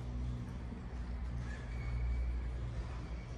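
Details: Steady low rumble of passing vehicles on an urban street, with a faint high squeal partway through and no animal voices.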